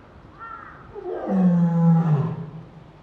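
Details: Female lion Luna at Higashiyama Zoo in Nagoya, filmed 22 February 2023, calling in response to her son Sora's voice from indoors: a deep, loud roar swelling to a sustained low tone for about a second, then fading.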